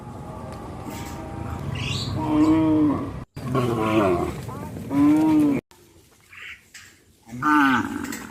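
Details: ['Cows herded through a wide grass field, lowing repeatedly: a long moo near two and a half seconds, two more overlapping around four to five seconds, and a final one after seven seconds, with brief dropouts between.']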